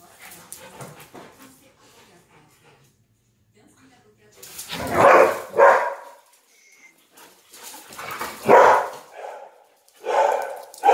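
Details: Two confined dogs, a Beauceron and a Tervuren, playing together indoors: bursts of rough growling and barking vocalisations around the middle and end, with quieter stretches between.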